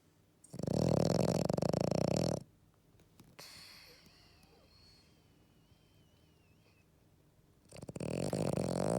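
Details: Eleven-year-old female French Bulldog sound asleep after a walk, giving two loud, harsh, rattling snores: the first lasts about two seconds, and the second begins near the end after a long quiet breath.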